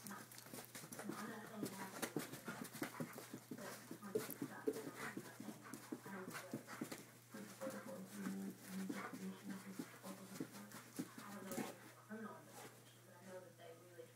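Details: Red rust Doberman Pinscher at play, searching for the cat: steady rapid panting breaths fill the stretch, breathy and rhythmic, with faint human speech in the background.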